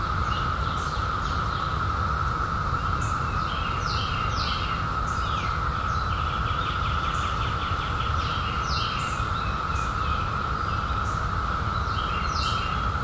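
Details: Cicadas emerged in 2021 after 17 years hum in a continuous even drone while many birds add busy chirps, sweeps and rattling trills; a steady low rumble runs beneath.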